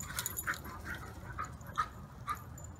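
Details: Siberian Huskies Maya and Pearson playing in the yard after their morning walk on a peaceful morning; short high whimpering yelps come about every half second over a low rumbling background.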